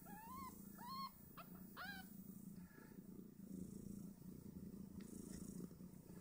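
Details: Newborn Snowshoe Siamese kittens, two days old, fighting over teats while nursing on their mother; a run of four high, arched, whiny squeaks in the first two seconds over a constant low purr.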